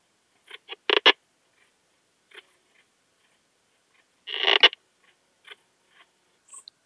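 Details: Poecilimon gracilis, slender bright bush-cricket, recorded 19 August 2021 at Hajnzgraben, Austria, via a Pettersson D 100 ultrasound detector: three quick clicking bursts, a pause of several seconds, then a longer rasping chirp and scattered faint ticks.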